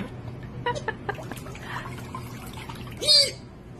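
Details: Baby sea otter giving one short, loud, high-pitched squeal near the end, arching in pitch, after a stretch of soft clicks and splashy water sounds.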